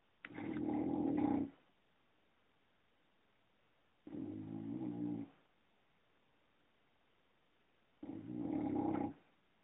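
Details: A sleeping female English Bulldog snores in slow, rattling, buzzy breaths, each lasting just over a second.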